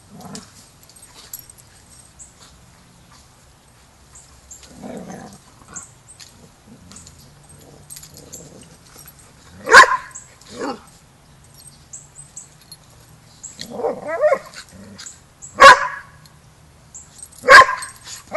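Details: Pack of dogs at Border Collie boot camp as young Rammstein learns pack etiquette; scattered soft sounds, then sharp barks at irregular intervals of about two to six seconds, growing more frequent toward the end.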